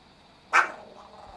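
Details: A single explosive, rough bark from Chihuahua Kohaku, furious at its owner copying snake-fist kung fu, fading into a short tail.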